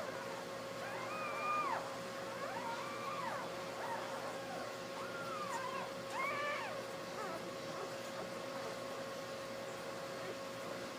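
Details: Ten newborn Basset Hound pups, two female and eight male, with their mother on the day they were born; a string of reedy arched whines, each bending up then down, some overlapping, against a constant background hum.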